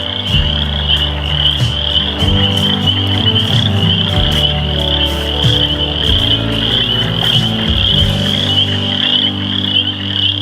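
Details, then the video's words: Frogs calling from a small water area at a nature center in Lansing, Michigan: a dense, steady high trilling chorus runs throughout over low droning tones, with faint voices nearby. "Right up in there. Listen"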